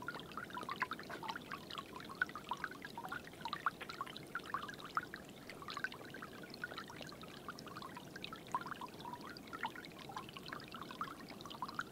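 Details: Steady pouring and trickling water with scattered small splashes and drips throughout; no animal voice is heard.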